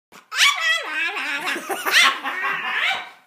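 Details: A French bulldog yelling at a teenage boy makes a drawn-out, wavering, whiny yowl. Its pitch slides down and then wobbles up and down for about three seconds in a talking-like grumble.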